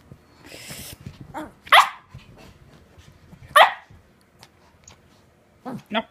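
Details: Petit Brabançon dog at play, giving short sharp barks at about 1.7 and 3.6 seconds plus softer yips near the end, with a person's voice and low household rustle between them.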